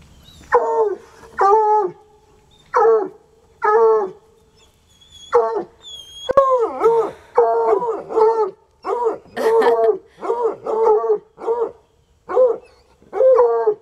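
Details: Sunny and Hazard, two untrained coonhounds at it for about three hours, give a long string of short, ringing bays, sparse at first, then quickening into rapid overlapping volleys with rich harmonics; a sharp click sounds partway through.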